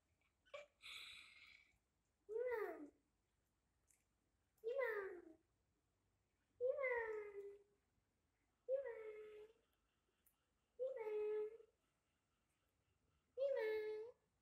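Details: Pet cat calling on a hot summer night, giving seven arched, tonal meows that rise then fall, spaced roughly every two seconds in a quiet room with no other sounds.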